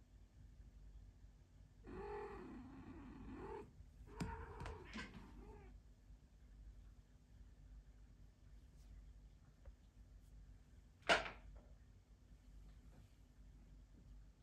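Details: Mother cat with her kitten Bronze indoors: a drawn-out wavering meow followed by a few shorter broken mews, then quiet low hum and a single sharp click.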